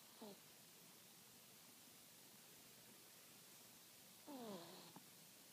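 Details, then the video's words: Small Chihuahua dozing with whistly snores: a brief falling whine at the start, then after four quiet seconds a longer snore sliding down in pitch with a faint click at its end. "Snoring Chihuahua"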